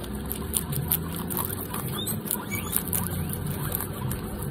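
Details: Guinea pig named Pancake eating rapidly, like a machine: steady crunchy chewing with quick, dense clicks and nibbles running throughout, over a low background rumble.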